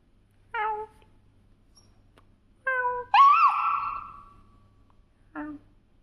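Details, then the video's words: A pet dog making noise: four short tonal whines or yips at irregular spacing, the third longer with a bright start that slides downward and fades, over a faint steady low hum. "My Dog Is making noise"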